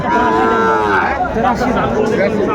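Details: Sahiwal bull calves at a weekly cattle market in Sylhet, Bangladesh, on a Saturday in June: a drawn-out harmonic moo over crowd chatter and a man speaking.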